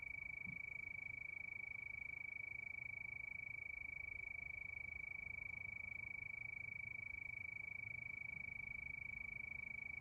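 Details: Crickets at night under the moon give a constant high, finely pulsed trill for the whole stretch, unchanging in pitch and loudness, with a quiet low rumble underneath.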